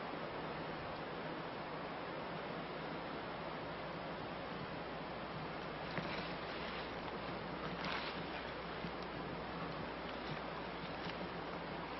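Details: Steady broadband rushing noise like flowing water or wind fills all twelve seconds, with a few brief brighter bursts near the middle and no animal voice.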